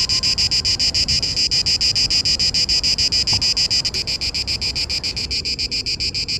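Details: Singing Cicada orni male, Parque Eduardo VII, mating-season song aimed at females: strident high buzz chopped into quick, even pulses about three and a half per second, steady throughout with slight dips in loudness toward the end.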